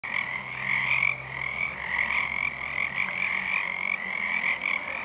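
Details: Pacific tree frogs, many calling unseen on a full moon night in February 2011, form a dense chorus of overlapping high, raspy croaks that pulse almost without a break, with a lower band of sound beneath.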